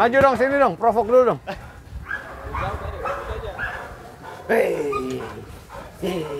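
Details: A fierce sport dog at Vom Almere Dog Training Centre during an attack exercise gives a quick run of about four deep, harmonic barks in the first second and a half, then men talk and shout over it.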